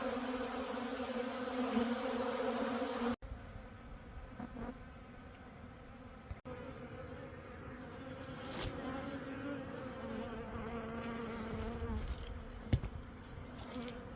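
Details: Honey bees at a Manitoba, Canada apiary drone in a steady, low hum that swells and fades as they fly close.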